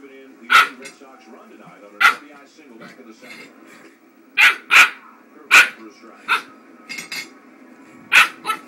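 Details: Startled eight-week-old Norwegian Elkhound puppy barking at an iron cricket fireplace ornament indoors: shrill, sharp yaps, singly and in quick pairs, about nine in all, with faint tonal background sound between them.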